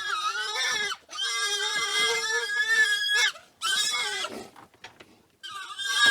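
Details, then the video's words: Wild boars in a group in the wild, making long, tonal, high squeals that waver slightly in pitch, three drawn-out cries broken by short silences. "Wild Boar Sound & Call"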